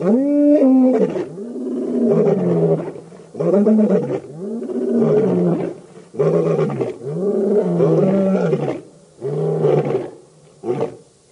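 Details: Birmingham Boys coalition lions at a dam in Djuma Game Reserve, Sabi Sand, South Africa, August 2016: after one drawn-out roar comes a rhythmic run of about eight shorter, deep grunting roars, spaced roughly a second apart.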